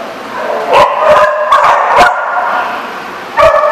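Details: Dogs at The Barking Lot on 7 July 2014 giving loud, separate barks in short bursts, a few yips between them, then a fresh pair of barks near the end over a quieter background of other dogs.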